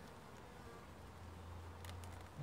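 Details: Guaraipo bee, also called abelha pé de pau or abelha preta, recorded during a colony division on 2 October 2019: a low, steady droning hum emerges about a second in and holds, over soft background hiss, ending with a brief thump.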